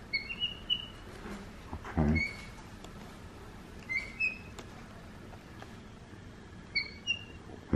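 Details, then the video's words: A male Black-capped capuchin monkey gives short, high, bird-like chirps, likened to a parakeet, in small bursts every second or two while playing and grooming; a thump and faint background voices. "sounds like a parakeet"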